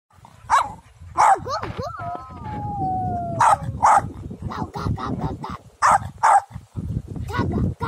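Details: A Pomeranian in a field gives sharp, high-pitched yapping barks in quick irregular bursts, with a drawn-out whine between.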